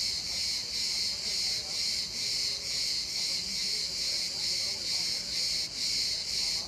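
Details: In İzmir, a cicada's loud unbroken high-pitched drone throbs in regular pulses about twice a second, with faint low background rumble beneath.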